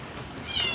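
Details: Sick, dying stray cat being force-fed to survive gives one brief, high harmonic meow that rises near the end, with a woman's Filipino coaxing nearby.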